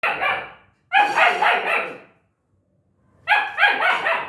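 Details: Full long-coated German Shepherd puppy barking in three quick bursts of high, yappy barks, each burst several rapid barks, separated by short silences.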